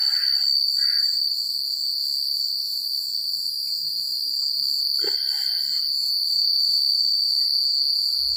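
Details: Night cricket chorus in quiet countryside, a continuous piercing high trill overlaid with rapid rhythmic pulsing chirps. Brief mid-pitched chirrups come near the start and at five seconds, over a faint low hum.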